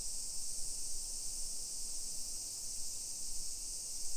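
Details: Summer cicada chorus in a modern hillside neighborhood of Nisshin city, Aichi, Japan, 1 PM, July 28, 2021; a continuous bright, hissing high drone fills the air, with soft low rumble from walking underneath.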